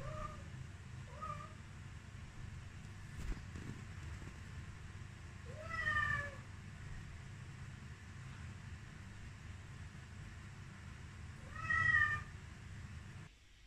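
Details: Devon Rex kitten reacting to its reflection in a mirror: two quick soft meows, then a longer bending meow around six seconds and another near twelve seconds, over a steady low hum indoors.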